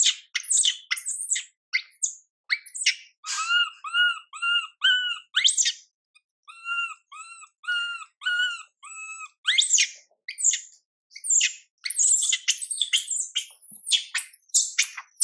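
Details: Mila, a young monkey whose mother Milika pays her no attention, wails with rapid shrill squeals, then a steady string of wavering tonal coos, before breaking into harsh, rasping screams again.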